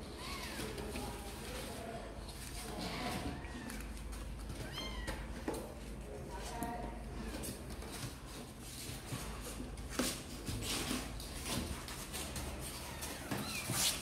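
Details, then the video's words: Two kittens, Sor and Kapov, keen to come out and play, make repeated thin mewing cries, some rising then falling, scattered through the passage amid human speech and room noise. "Sor and Kapov kittens update - Looks like they really want to come out and play"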